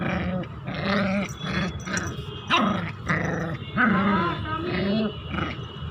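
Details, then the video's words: Angry one-month-old Indian Spitz puppy growling almost continuously, a rough buzzing snarl with rising and falling whiny tones, broken by a couple of sharper yelps. "1 month indian spitz in angry mood 😠 indian spitz barking"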